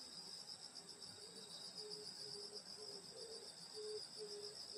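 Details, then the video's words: Grass insects on a rural summer night by a grandmother's house: constant high pulsing trill layers, over which a lower short note repeats roughly every half second. "여름소리 풀벌레소리 시골밤소리"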